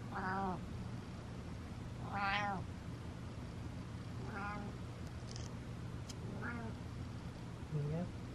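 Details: Butters the cat giving a run of excited meows, loud arched calls with rich harmonics about every two seconds, the last one a short rising squeak, over a low background hum and a faint click.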